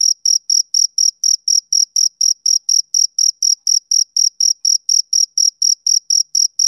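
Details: High-pitched chirps from a male cricket, a summer evening sound, repeated around four times a second for some twenty-seven even pulses; nothing else is audible behind the insect.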